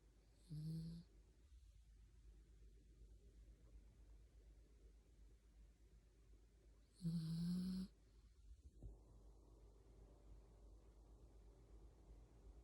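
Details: Yorkshire Terrier asleep while held in someone's arms, snoring like a person: two short, tonal, humming snores about six seconds apart, each lasting under a second, with quiet breathing and a low room hum between them.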